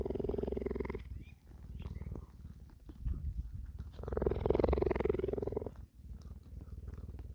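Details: Purring of a sanctuary cheetah, soaked in rain while grooming a companion; a rapid, throbbing low rumble rises and falls, swelling loudest near the fifth second before easing off.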